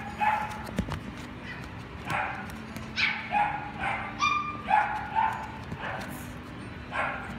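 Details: Pet shop dogs giving sharp high yips and barks, some doubled, in an uneven run of roughly two per second, with clicks and a constant low electrical hum behind.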